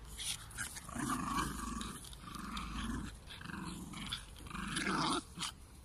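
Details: Two Jack Russell Terriers, pets from South Africa, growling in low rumbling bursts of about a second each, four or five in a row with short pauses, in a small indoor room.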